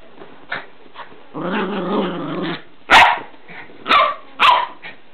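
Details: Border Terrier puppy in a wild play frenzy: a few faint yips, then a sustained rumbling play growl lasting about a second and a half, followed by three sharp, loud barks spaced roughly a second apart.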